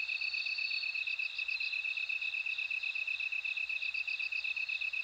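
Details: High ringing pulses of a bell cricket come in short bursts over a constant, lower, shrill insect drone.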